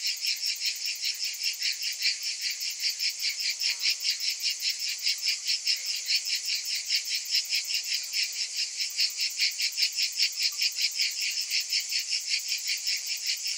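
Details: Cicadas calling in summer: a dense, high buzzing chorus that pulses steadily about two and a half times per second throughout, with no other sounds.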